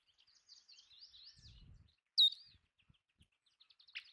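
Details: Sage rats, or Belding's ground squirrels, at scattered bird food give one abrupt, shrill squeak midway, loud and brief, after soft warbling birdsong and a low rustle; faint chirps follow.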